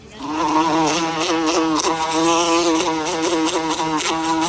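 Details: Continuous low, even buzzing of a bee, holding a steady pitch with a slight wavering throughout and short rustling clicks.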